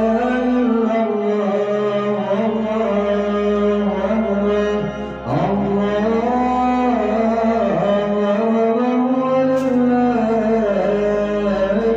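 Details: Loud, continuous music with sustained singing and instrumental accompaniment fills the whole stretch, with no animal heard.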